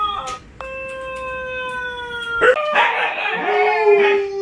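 A Siberian Husky gives a long, steady howl that breaks into a rougher, wavering yodel.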